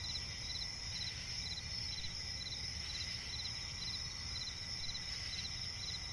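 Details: In a swampy forest at night, crickets keep up a dense shrill chorus, short rhythmic chirp bursts repeating roughly every half second over a steady high insect hum and a low background rumble.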